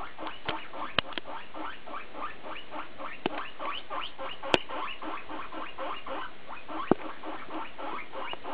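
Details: BooBoo the guinea pig chatters in a stream of short upward-sliding squeaks, softer and murmured, broken by several sharp clicks or taps in the background.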